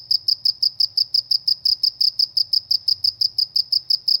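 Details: Rural cricket calling: sharp, high chirps pulsing rapidly and evenly, around three each second, over a soft low background hum.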